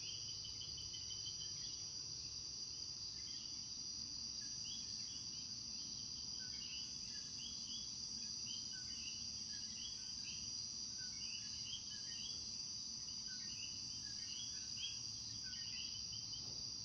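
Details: Coquí frogs calling as night falls in Puerto Rico: a dense chorus of many callers giving short, repeated upward notes, layered over a steady high insect drone.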